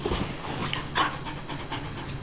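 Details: Malibu, a new female husky kept as a pet, throws a tantrum because she refuses to get out of bed; breathy panting with soft whimpery bursts, mixed with a person's calming voice.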